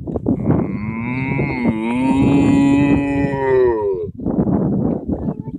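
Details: Cows in a field in Ireland; one long, low moo that holds steady for about three seconds and then falls away at the end. A person talks quietly under the call and again after it.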